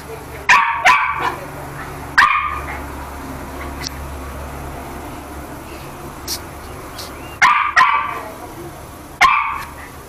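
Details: Chucky, a pet toy poodle, barking while playing: sharp, high yaps in quick doubles and singles, one pair near the start, one at two seconds, then two more bursts late on, with quiet pauses and a low hum between.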